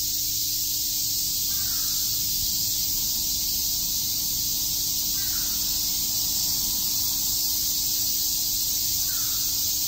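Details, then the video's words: Cicadas chirping on a summer day in Shakujii Park, Tokyo: a dense, unbroken high-pitched hiss that holds steady throughout, with a faint crow-like caw breaking in three times, roughly every four seconds. "Cicada chirps"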